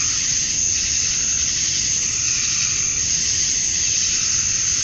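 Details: Cicadas at dusk on a summer night in Georgia, USA, males chirping to draw females; an even, hissing high whine sustained without pause, swelling slightly in loudness near the end.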